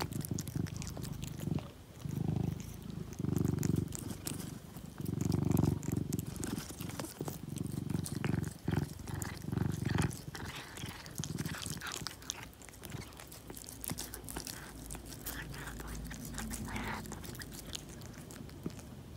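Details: Pet cat eating turkey treats after a vacation, a deep purr rising and falling in bursts, louder in the first ten seconds, then quieter under scattered chewing and crunching noises.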